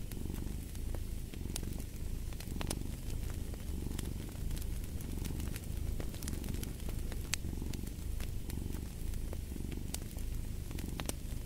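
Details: Purring cat by a fireplace: a deep, grainy rumble rises and falls with each breath in even, repeated cycles. Fire crackles and occasional loud snaps sound throughout.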